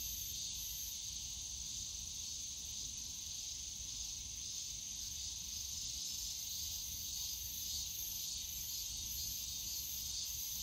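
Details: Summer cicada chorus in a bamboo forest at Yongsan Family Park, a steady high buzzing drone that never pauses, with soft distant low-pitched city and park hum beneath.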